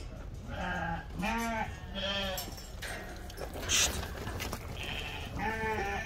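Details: Lacaune sheep, breeding ewes of French origin delivered to a farm in Turkey, bleating in a series of short wavering calls with clear stacked overtones, several animals calling in turn, faint background chatter.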